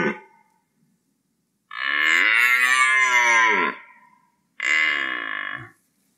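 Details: Red deer during the rut producing a two-second moaning bellow that rises and falls, followed after a short gap by a shorter, one-second call.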